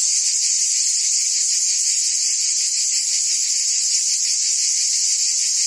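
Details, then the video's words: Short stretch of cicada buzzing in forest trees, a constant high hissing whine with slight rhythmic throbbing, uniform in volume and free of other sounds. "Ambient Cicada Sounds"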